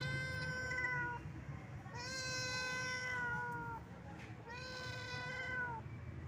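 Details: Old, wandering domestic cat giving sad meows: three long, steady, clear meows, each lasting around one to two seconds with short pauses between, over a low background rumble.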